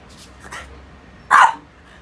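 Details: French Bulldog playing with rubber toys makes one short, sharp bark after a couple of soft huffing sounds, otherwise quiet.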